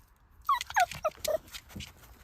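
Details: Pet dog whining to have its hidden ball found: four quick, high, downward-sliding whimpers in a row, then faint rustling and a soft human voice.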